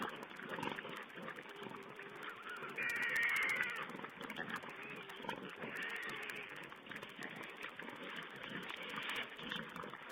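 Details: Feeding wild boar piglets on a webcam, 16 April 2010, keep up a steady overlapping stream of squeaks and squeals, swelling into a louder burst of shrill cries after about three seconds, then settling back to busy chatter.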